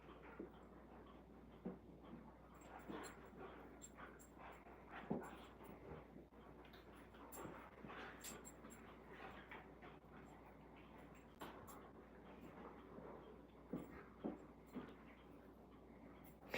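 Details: Alaskan Malamutes playing inside the house on a cold night, rolling and wrestling: breathy panting mixed with scattered high whimpers and brief yips, several sharper bursts near the middle and end, and a person's voice nearby.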